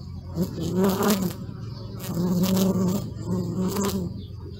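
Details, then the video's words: Bee buzzing close by, filmed with a Sony Alpha 6000 camera; a low droning hum that swells and fades as the insect moves, louder passages around one and two and a half seconds, with faint background rustle. "Bee sound"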